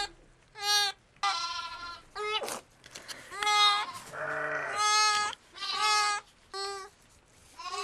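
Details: Freshly born triplet lambs on a farm in Sullivan County, New York, call in loud, shaky, rising bleats about once a second, answered by a deep low bleat from the ewe.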